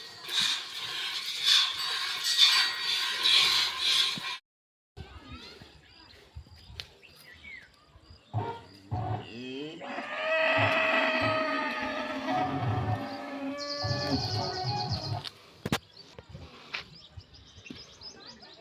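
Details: Cow on an Indian farm nursing her calf with affection; a drawn-out harmonic moo sounds midway, rising slightly then holding, while people talk and call nearby and handling noises and brief clatter fill the gaps.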